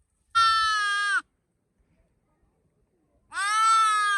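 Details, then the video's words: Sheep bleating: two long, steady, nasal bleats about three seconds apart, each lasting close to a second and holding an even pitch, with quiet between them and no other sounds. "sounds of sheep , Sheep Sound"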